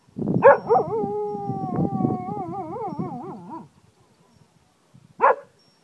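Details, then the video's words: Cocker Spaniel in Ajloun, Jordan, howling like a wolf: a few rough yelps open into a long, sustained, wavering howl of about three seconds with a warbling tremolo at the end, then a short yelp after a pause. "cocker spaniel howls like a wolf"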